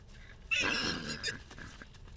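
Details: Salt River wild horse in Arizona, from the story of a baby horse separated from his mother, long-range microphone: one brief harsh, breathy neigh lasting under a second, followed by a softer trailing burst over outdoor background noise.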